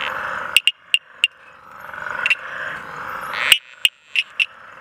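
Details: Tinker reed frog (Hyperolius tuberilinguis) at Mtunzini, KwaZulu-Natal, South Africa, giving sharp, metallic tinking clicks in short irregular bursts over a soft background chorus.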